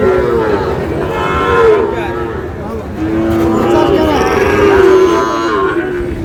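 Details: At a Khulna cattle market in Bangladesh, where a Sahiwal bull calf changes hands, long, sustained moos with a slightly wavering pitch follow one another, over a soft background of market voices.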